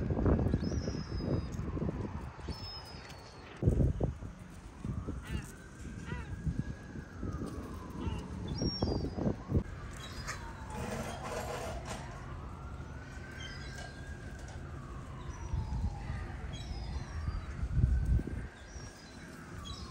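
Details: Stray cat in a heated exchange with its feline friends: long drawn-out wails that rise and fall in smooth arcs, about three in twenty seconds, over busy outdoor street noise with knocks and faint voices.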